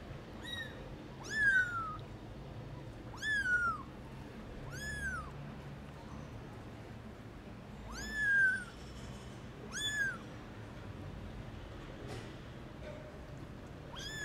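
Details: Very young kittens going out to the garden for the first time give loud, high arched meows, each call rising then falling, repeated every one to two seconds with short gaps and a faint constant hum behind.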